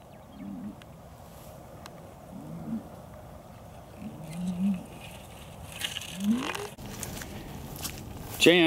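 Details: Hereford cattle at Chandler Herefords in 2017, bulls being turned out with their breeding groups as breeding season begins: low, short moos about every two seconds, then a rising call, ending in a sharp high wavering sound.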